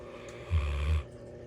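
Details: A female Bloodhound sleeping at night with her head by the Christmas tree gives a single deep, rumbling snore lasting about half a second.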